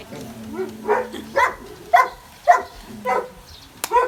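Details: Dogs at play on grass near a water pool, among a Belgian Malinois, German Shepherd and Border Collie, give playful barks: six short, sharp barks about half a second apart, over a low steady hum and faint human voices.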